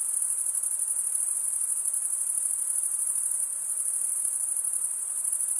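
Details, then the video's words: Cricket stridulation, wing scraped against toothed wing, as a steady high ringing trill with quick uneven pulses, about two to three per second, and no other animals or background noise. "Most relaxing cricket sound"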